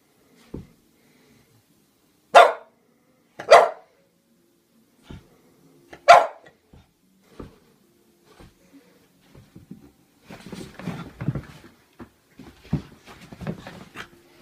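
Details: Pluto, a French Bulldog scared of a toy clown it seems to think is alive, gives three sharp, loud barks a second or so apart indoors, then quieter scuffling, snuffling and soft knocking sounds follow.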